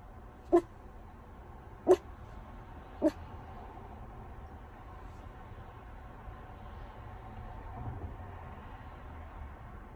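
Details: A Miniature Schnauzer waiting in a car gives three short, sharp barks about a second apart, then falls quiet.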